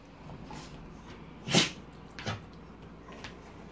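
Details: Golden Retriever Didi, who keeps wanting attention even after being petted and walked all day, gives a sharp, breathy snort, then a softer second huff, seeking attention while the owner asks what she's doing.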